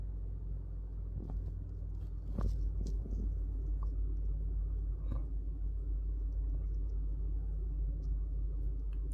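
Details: Deep, steady low rumble like an engine fills a small indoor room, with a few faint clicks and knocks and no animal voice.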